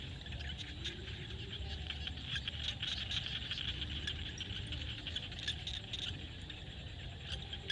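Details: A field in Cambodia at sunset, where frogs keep up a thick chorus of fast clicking, ticking calls. Sharp bursts stand out now and then above a constant low hum.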